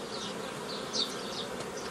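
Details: Dense honey bee hum at an apiary during nucleus colony making, May 2018; the unbroken drone swells briefly near the middle under a sharp, high chirp.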